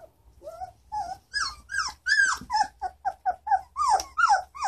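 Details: Three-week-old German Shorthaired Pointer puppies in Eugene, Oregon, up and moving about in April 2013; a run of high squeaky whines and yelps, mostly rising then falling, follow one another quickly, several pups overlapping, indoors.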